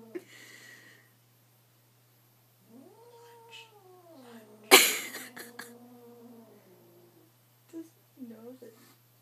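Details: Kitten Apollo facing his mirror image, which he takes for a rival cat, indoors at home: a drawn-out moaning yowl that swells and sinks over several seconds, broken by a sharp thump, then short low mews, with people's voices nearby.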